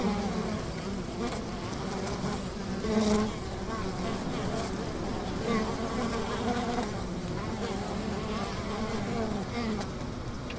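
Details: Honey bees at a hive by the river: a continuous, humming buzz of many insects, with a louder close pass early on and faint sharp clicks over the drone.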